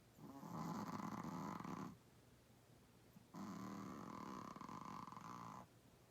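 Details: Sleeping Chihuahua-Pug mix, a little 8 lb dog, snoring loudly indoors: long rasping, vibrating breaths of nearly two seconds each, with a quiet gap between the two snores.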